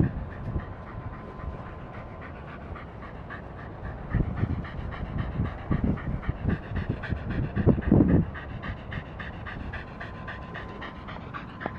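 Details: Welsh Corgi playing with a ball, panting in quick, irregular breaths through the clip, louder bursts around the middle, with a steady low hum in the background.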